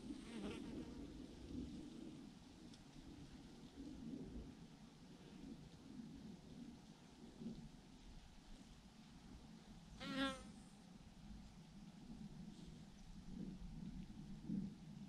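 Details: Thousands of bees hang in a massive clump on a branch, their swarm giving a steady, low droning hum throughout, with one brief louder rising whine near the ten-second mark.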